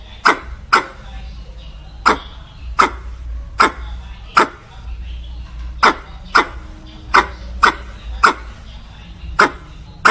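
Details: A squirrel calling for a mate with repeated loud, abrupt chucking barks at an uneven pace of one to two per second, set against a faint steady low hum.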